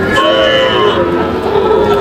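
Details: Sahiwal bull calves at a cattle market in Natore, Bangladesh, on 15 July 2025: a sustained low moo with layered harmonics runs under loud bargaining voices and market chatter.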